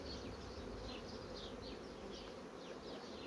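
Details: Honey bee colonies in a managed hive, quickly drawing out wax on foundation sheets, give a steady, dense low drone that holds evenly throughout, with faint higher hiss above.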